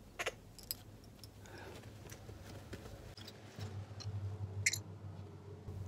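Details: A baby squirrel monkey, after a meal, hiccups with brief sharp clicks at irregular intervals over a low hum.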